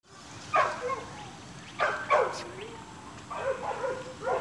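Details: Staghound puppies almost seven weeks old, playing with their chase instinct switched on; a few short high yips and squeals come in scattered bursts about every second or two over a quiet background.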